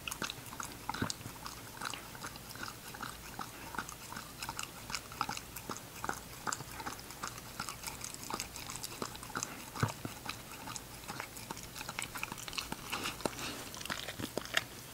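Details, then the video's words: Ginger, an English Cocker Spaniel puppy, chewing her food: steady stream of crunchy bites and clicks throughout, a few louder snaps standing out, constant faint background hum. "ENGLISH COCKER SPANIEL PUPPY EATING SHOW"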